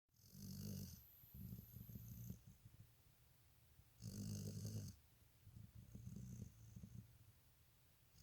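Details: Sleeping dog snoring indoors: low, rough breathing snores in uneven bursts, a long rasp near the start and another around four seconds, with softer wheezy breaths between and a faint high whine early on.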